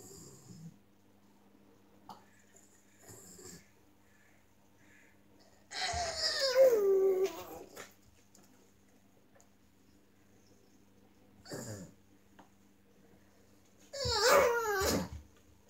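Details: Lulu, a deaf pug, whining: two bursts of high, nasal, wheezy whines that slide downward, about eight seconds apart, with faint snuffles and a steady low hum between them.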